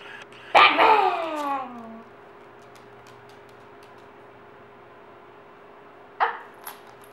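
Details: Dog greeting its returning owners during a treat-training session, letting out a loud, drawn-out yelp that falls in pitch, then after several quiet seconds a single short bark with a brief tail.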